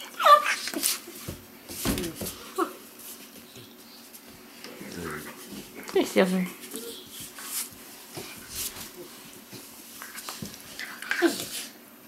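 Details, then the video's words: Weimaraner puppies from an Indigo and Magnum litter, indoors in a small room, giving scattered short whimpers and squeaks over several seconds, with human voices talking over and between the calls. "Great Weimar pups!"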